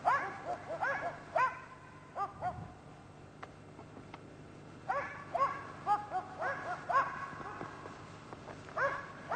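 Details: Karelian Bear Dogs barking while hunting a European brown bear, with clear tonal yelping barks in quick irregular bursts, gaps of a second or two between volleys, and faint rustling underneath.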